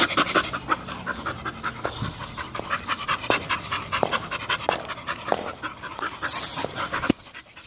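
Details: A Bull Terrier, from a male aged three and a female aged two, pants rapidly in quick, breathy bursts.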